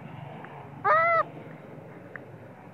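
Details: A spoiled baby monkey screams and cries, angry with its mother when sleepy, crying loudly even while she breastfeeds it; a single short harmonic squealing cry lasting about a third of a second, slightly rising then falling, over steady low background hiss.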